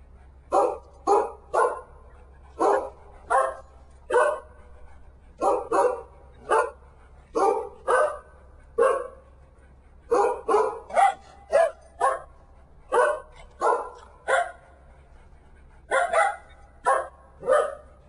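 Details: Four corgis give a rapid series of short, sharp barks in uneven bursts with brief pauses, as if "singing" Happy Birthday.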